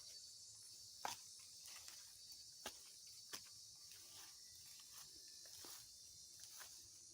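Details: Cicada singing in the morning beside a path leading to rural fields: a steady, high, hissing buzz drones without a break throughout, with a few sharp clicks and footsteps from someone walking.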